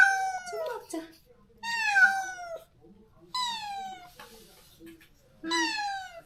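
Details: Stray cat in a countryside yard, recently neutered, crying daily for a companion it was forcibly separated from; four loud drawn-out meows, each falling in pitch, spaced one to two seconds apart, with quiet pauses between.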